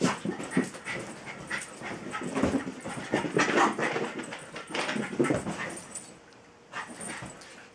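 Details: Tinkerbell, a female Jack Russell terrier, pesters Bilbo, a patient Welsh Terrier, for play and attention. Dense bursts of sharp yips and barks come in quick clusters, with a lull near the end before one last yap.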